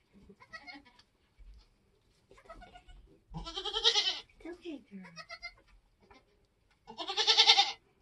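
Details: Nigerian goat kidding on a homestead: human voices talk softly, then two strong, shaky, drawn-out bleats ring out, the second higher and louder, with a few low murmurs between.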